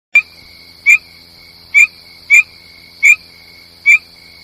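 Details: Frog calls: short, bright notes repeated about every three-quarters of a second, each with a faint lower and higher echo of itself, over a steady high whining tone that runs throughout.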